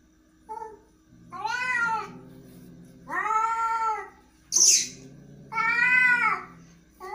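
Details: Angry cat producing three drawn-out wailing meows over low growling, with a sharp hiss bursting out between the second and third calls.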